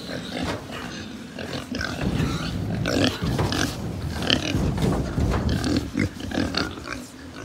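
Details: Many pigs on a Japanese pig farm grunt low and fast in a continuous throaty rumble. Occasional sharper squeaks cut through. The noise swells louder toward the middle and stays busy to the end.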